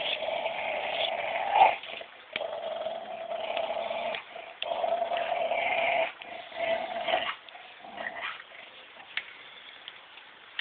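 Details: A female Labrador Collie cross growls noisily while playing tug of war with a Belgian Shepherd; long rasping, whiny growls run in stretches of one to two seconds with short breaks, plus scuffling sounds.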